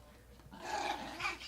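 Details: Pedro, an older male chihuahua getting riled up, gives a strained, grumbling whine that rises into a brief squeaky note.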